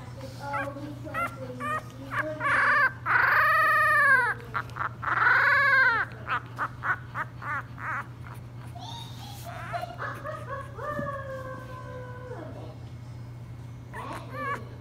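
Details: A 3-week-old English Bulldog puppy cries after a feeding with high, wavering squeals and whimpers, some long and arching.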